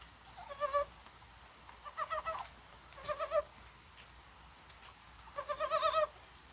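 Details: Mountain frogs calling on a rainy, spring-like January 21 in Korea: four clucking bursts of quick harmonic croaks, each about half a second long and spaced one to three seconds apart, over steady soft rain hiss.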